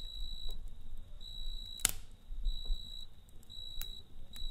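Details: Crickets chirp at night beside a campfire. Their high, shrill chirps are repeated in short bursts over the crackling fire, with one sharp pop from the flames.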